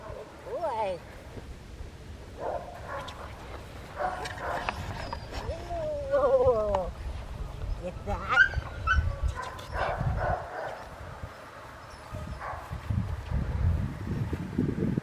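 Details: Rottweiler puppy Kaiser Bronx v Schwarzerwald, born June 5, 2021, recorded August 22, 2021, being introduced to a toy during shaping training; high, wavering whimpers with falling tones near the start and middle, under ongoing human talk.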